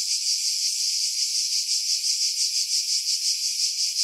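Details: Chorus of cicadas in July 2018 among pines above Pefkos Bay on Skiros, Greece, recorded on a Sony RX3 with external mic; steady shrill buzzing that swells and fades in quick regular pulses, roughly three per second.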